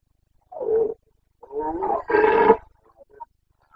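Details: Rutting Carpathian stag, Bucovina, breeding season, 29 September 2022: three rough, growling roars in quick succession, the last the loudest and broadest. A few faint short sounds follow in otherwise quiet surroundings.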